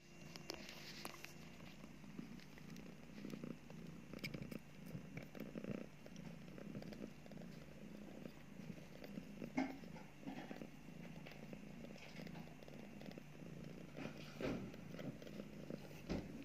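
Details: Mother cat nursing two newborn kittens just after giving birth, purring indoors: a low, steady rumbling purr pulsing continuously throughout, with soft rustling and occasional light clicks in a small room.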